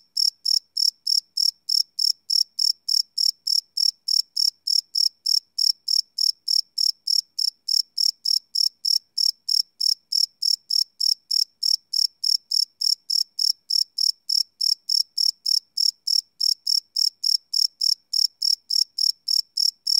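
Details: Night-time crickets captured live on a Sony PCM D100 field recorder, chirping without a break for twenty seconds: short, shrill pulses repeated evenly about three times a second against complete quiet.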